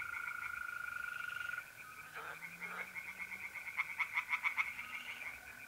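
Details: Singing tree frogs in a pond at night, North-East Italy, mid-April. The frogs give shorter bursts of rapid pulsing, with a louder run near the end, while mole crickets keep up a steady, unbroken trill throughout.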